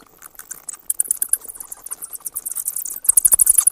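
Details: Bat calls as sharp, very high squeaks and ticks, at first scattered, then a fast regular run of bright chirps in the final second.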